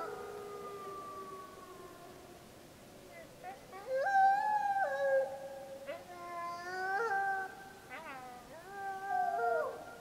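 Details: Snake River gray wolf pack, Summit Ridge, Wallowa County, Oregon, 25 July 2012: a pup howls and pack members return its howls, long wavering tones that break and jump suddenly in pitch.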